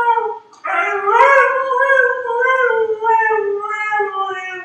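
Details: Dog giving one long, sustained howl with a steady, slightly wavering pitch that gently rises and then sinks, briefly joined by a second, higher voice near the start.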